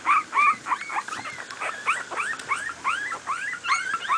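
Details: Playing miniature pinscher puppies, two weeks old, from a litter born 28 July 2008. Several pups give dense, overlapping high squeals and arching whimpers in a continuous, loud chorus with no break.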